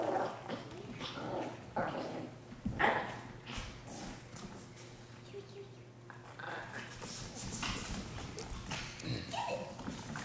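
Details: Dogs fighting, filmed with a Sony a73 camera: rough broadband snarls and growls in irregular bursts, a few sharp yelps, against steady low hum and background noise.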